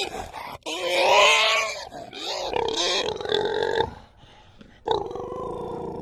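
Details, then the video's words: Pig squealing and snorting: a loud strained scream swelling and fading in the first two seconds, a rasping wavering squeal to four seconds, then a quieter harsh squeal after a short pause. "Pig Squeal/Snort (Extreme Animal Sounds)"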